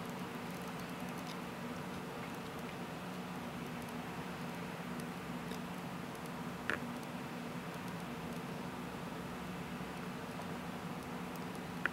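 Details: A low, even room hum and soft hiss fill the recording from start to finish. Two brief clicks stand out near the middle and at the very end, but no animal voice can be picked out.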